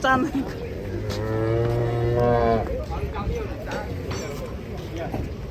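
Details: A sacrificial cow coming off a truck gives one deep, steady moo lasting about a second and a half, followed by a weaker trailing call, with background clatter and faint voices.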